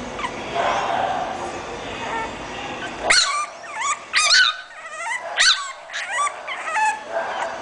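An English Bulldog gives sharp, high yapping barks in quick bursts after a stretch of steady background noise.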